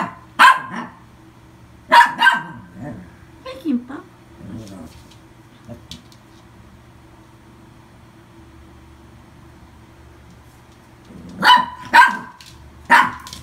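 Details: Adopted toy poodle, 24 August 2018, lets out a pair of sharp barks, then falls quiet amid low talking and household sounds, before three more high yaps toward the end.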